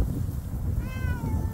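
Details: At an outdoor feeding spot in cold weather, where a small cat was chased off by bigger cats, a domestic cat gives one short, clear meow that starts high and slides gently downward over a low rumble.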